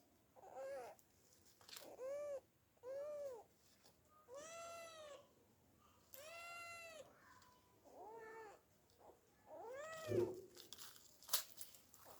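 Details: Cat up a tree trying to climb down, giving a string of repeated meows, some short and rising-falling, others long and harmonic-rich, spaced about a second or two apart, with a few sharp clicks near the end.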